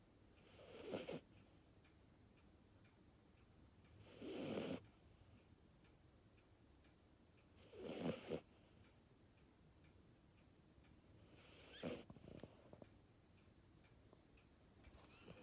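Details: A Maltese and Dachshund cross snores while asleep, lately noisy; four harsh, wheezy breaths spaced roughly every four seconds, separated by soft near-silence.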